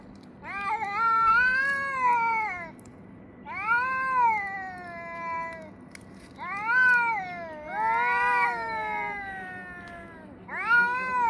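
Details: Cats yowling at each other around 6 a.m. in summer: loud, harmonically rich moaning wails with arching pitch, five bouts of one to two seconds each in quick succession, clear over a low steady background hum.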